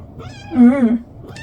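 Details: Munchkin cat, a pet kept indoors, giving a short harmonic 'ung' meow that swells and wavers for about half a second, with soft background noise and a faint high tone after.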